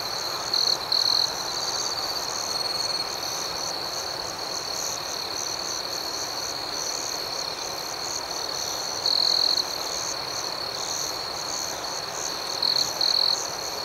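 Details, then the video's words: Night crickets in a dense, continuous high-pitched chorus, shimmering and pulsed, with short louder trilling bursts near the start, around nine seconds and near the end. "Soothing Cricket Sounds"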